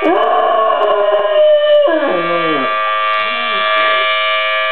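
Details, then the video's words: Weimaraner dog howling in response to the monthly first-Wednesday siren: a sustained, wavering tone that bends downward and breaks into shorter falling howls, while the steady siren drones underneath. "Weimaraner - Maxwell singing for me"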